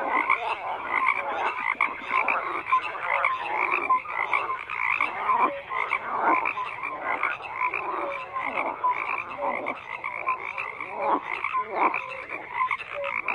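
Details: Dense chorus of many frogs croaking together, overlapping rattling croaks and short tonal notes layered continuously without pause, steady and unbroken throughout.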